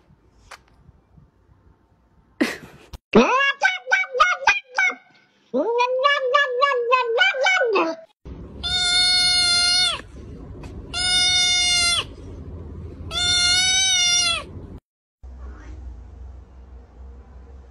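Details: Angry kittens, described as mad and not happy, indoors: harmonic, sharply pitched meows in quick bursts, then three long sustained high cries with strong overtones, each about a second and a half, over a steady background hum.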